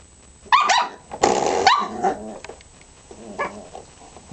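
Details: Three-month-old teething Pembroke Welsh Corgi puppy, female, playing with a spring doorstop indoors: two loud, harsh barks with a growly edge near the start, then a softer short yap after a pause, with light room noise.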